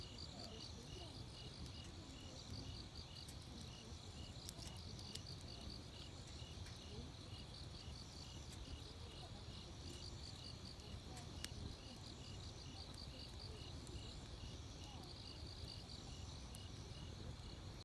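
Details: Insects chirping in a steady, continuous pulsing chorus at a campsite beside a crackling wood fire, with a low rumble underneath and occasional soft clicks.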